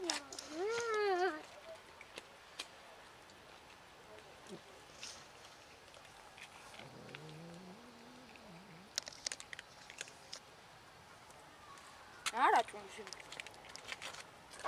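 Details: Cat from a large colony living in and around a dumpster and feeding from it: a loud, wavering, harmonic meow in the first second and a shorter meow near twelve seconds, separated by quiet outdoor background.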